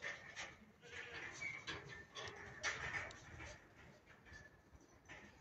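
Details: Hijazi goat, a long-eared breed, kept on a farm in Pakistan; several nasal bleats with stacked harmonic bands come in quick, irregular bursts over a steady noisy background.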